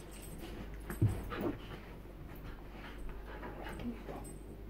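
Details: Bull terrier, one of two pet dogs named Joy and Miley: soft, breathy panting in a low rumbling room, with a louder brief thump near the start and quiet rustling throughout.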